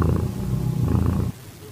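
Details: Purring of a calitabby cat in heat that accepted a calico kitten, 8 September 2021, 6:30 PM; deep continuous rumble lasting over a second, then cutting off abruptly into quiet background.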